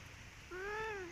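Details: A single clear meow from Si Belang, an orange striped cat visiting: one drawn-out, harmonic-rich call rising slightly then falling, about half a second long, over quiet background hum.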